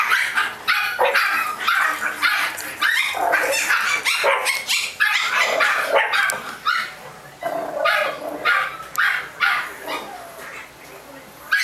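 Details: Young Chihuahuas at a California breeder keep up a nearly continuous chorus of thin, high yaps and barks, tumbling over one another for about ten seconds before thinning out.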